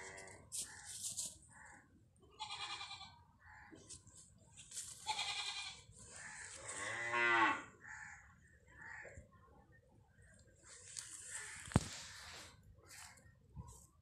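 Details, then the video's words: A cow calf calls with a drawn-out harmonic moo near the middle, surrounded by shorter bleating calls and bursts of hissing, rustling farm noise. "Cow calf"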